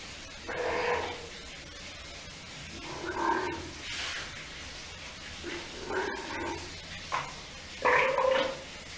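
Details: Six-day-old Steller sea lion pup in a Japanese aquarium in Ise, calling repeatedly: four or five hoarse, harmonic bleats, each under a second long and spaced two to three seconds apart, with faint room noise between them.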